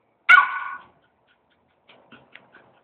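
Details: Young schnauzer puppy, two months old, protesting at home after wrecking a newspaper: one loud, sharp bark with a brief trailing tail, followed by a few faint soft clicks and rustles.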